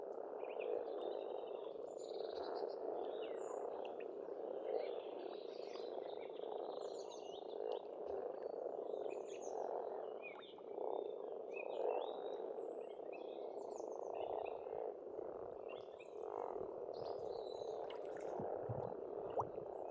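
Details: Springtime pond in rural Estonia, where a thick frog chorus croaks without pause for twenty seconds. Lively birdsong with many quick chirps, trills and whistles runs above it throughout.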